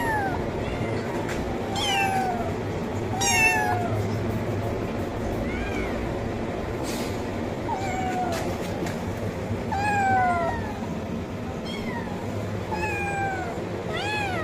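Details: Kitten meowing loudly for food: a long series of repeated high meows, many falling in pitch, roughly one every second or two, with occasional clicks and a low background hum.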